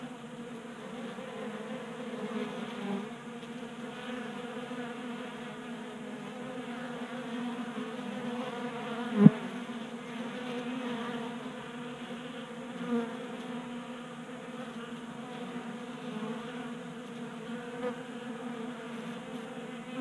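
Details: Group of honey bees feeding from a 3D printed feeder on a workbench in Colorado in January; constant low humming of wings, with a brief sharp click around nine seconds and a few faint taps.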